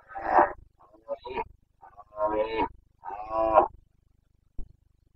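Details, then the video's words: Bucovina's Carpathian stags roar during the breeding season, which runs from mid-September to mid-October; here a red deer gives a harsh roar, broken grunts, then two longer rough bellows and a final short click-like grunt. "Boncănit / Carpathian stag Breeding season"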